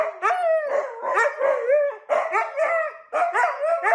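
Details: Dog howling in a string of short, wavering, mid-pitched yowls, each rising and falling, about six bursts over four seconds with brief gaps between them.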